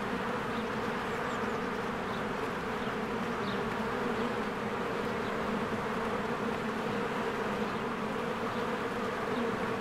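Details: Bees swarming in and out of their hive on a spring day among blooming flowers, a dense, steady droning buzz with layered low tones, while faint high bird chirps break through now and then.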